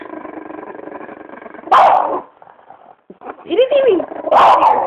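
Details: Pet French bulldog growling indoors: steady rumbling growl interrupted by two sharp barks and a brief whine-like wavering sound, with people talking nearby.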